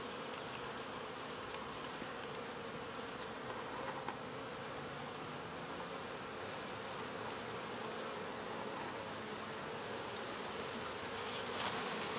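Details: Swarm of honey bees caught and removed from local baseball fields, giving a continuous even droning buzz throughout, with a slight swell toward the end.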